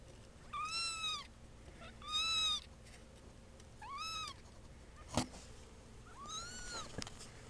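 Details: Two-week-old kittens mewing: four thin, high, slightly arched meows, each under a second, spaced irregularly about every two seconds, with a sharp click between the third and fourth in an otherwise quiet indoor setting.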